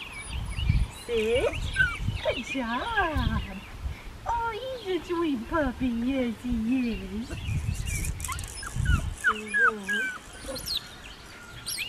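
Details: Black tri male Australian Shepherd puppy, registered farm-bred, whimpering in a string of wavering, warbling whines that rise and fall, some short and sliding downward, with low thumps and handling noise and people talking nearby.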